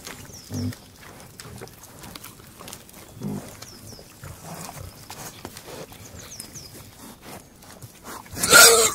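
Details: Several pigs grunting while feeding, low short grunts spaced a few seconds apart, with faint high bird chirps in the background and a loud rustling burst near the end.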